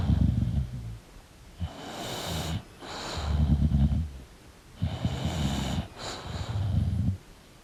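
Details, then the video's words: English bulldog snoring and breathing while asleep: low, rattling snore pulses about every one and a half seconds, each followed by a breathy hissing inhale. "English Bulldog Sleeping & Snoring Sound"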